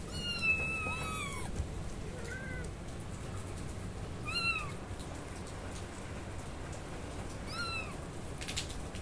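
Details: Several kittens meowing loudly: high, thin arched cries, one longer drawn-out meow at the start, then shorter calls at irregular gaps, over a constant low rumbling hiss.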